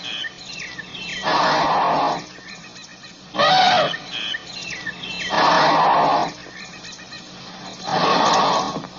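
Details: African elephant trumpeting in four loud, harsh, broadband blasts, each about one second long and spaced roughly two seconds apart. Small chirping birds call faintly between the blasts.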